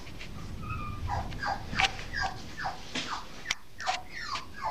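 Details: Norfolk Terrier bitch puppy aged 8.5 weeks, recorded 5 May 2015, giving rapid short downward whimpers over a low rumbling background hum, several cries per second.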